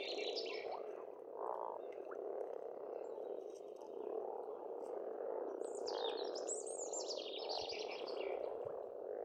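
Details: Many frogs croaking without pause at a pond in Estonia during spring, a rich low churning chorus, with songbirds adding sharp, rising and falling whistled phrases at the start and near the middle.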